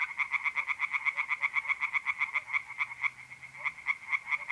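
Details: Tree frogs in a pond by night in mid-April, north-east Italy: a continuous rhythmic rattle of loud croaks, roughly four per second, rising and falling slightly in strength.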